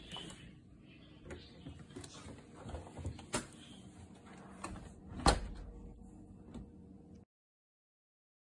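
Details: Indoor door sliding and knocking sounds with a sharp bang, then silence near the end.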